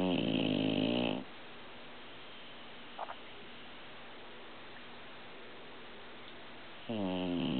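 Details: Sleeping old pit bull, an adopted shelter dog, snoring indoors: a rough, rumbling snore at the start, a long quiet pause with a faint tap, then the next snore building at the end.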